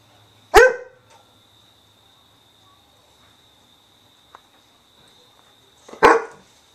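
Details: Weimaraner barking when ignored, giving two loud, abrupt barks about five and a half seconds apart with near silence between, apart from a faint tick and a steady background hum.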